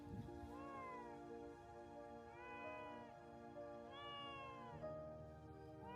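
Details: Abandoned kittens, five, found in a field at 2 degrees Celsius, shivering from the cold and crying out for help. High, plaintive meows with rising and falling arcs sound every second or two over steady background music.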